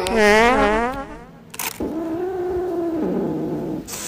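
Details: Domestic cat giving a loud, wavering meow that rises then falls in the first second, followed by a quieter drawn-out nasal call with a steady low background rumble.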